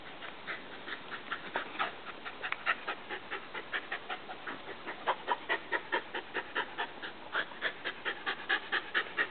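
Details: Welsh Terrier Lexi, a female dog, panting hard after a game of catch with a ball: quick, steady breathy huffs, about two per second, carrying on throughout with no other clear sounds.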